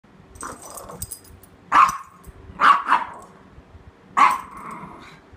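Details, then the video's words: Chihuahua mix dog barking while trying to play with a toy Australian Shepherd indoors; four sharp, mid-pitched barks, the first softer, then three loud ones spaced about one to one and a half seconds apart, with faint background rustling. "Chihuahua mix trying to play"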